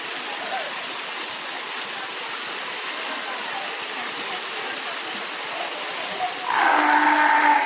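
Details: Fur seals swimming in a pool make noise: a loud, low, moaning bellow after a stretch of steady splashing water.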